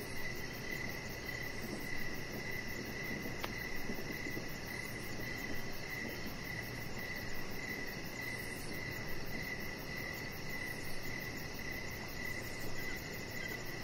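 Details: Crickets heard outdoors in the evening from a deck: a long run of regular, sharp high chirps spaced about half a second apart, a second faster trill higher up, one brief click, and continuous low background noise.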